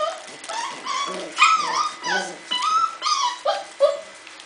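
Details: Cardigan Welsh Corgi puppies of the C-litter playing with a cat: a run of high, wavering whines and yelps, rising and falling, several in quick succession over four seconds.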